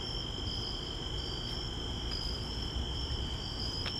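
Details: Crickets calling at night along a walk to the store: an unbroken shrill trill with a higher wavering band above it, against a dense low roar of ambient noise.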